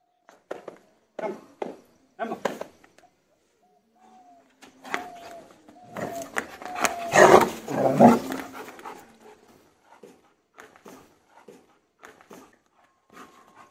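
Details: German Shepherd during army-style aggression and bite training: sharp broadband barks in short bursts, then a long loud stretch of barking and growling mid-clip, with a man's voice giving commands, then scattered softer barks.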